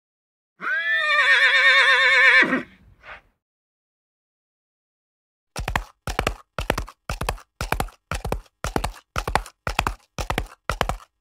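A horse gives a loud, quavering whinny, followed by the steady clip-clop of hooves.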